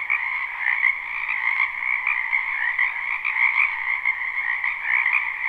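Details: Dense croaking of numerous frogs from a wetland in spring, a live recording: steady layered trills in two pitch bands, pulsing without pause, with faint brief ticks scattered through.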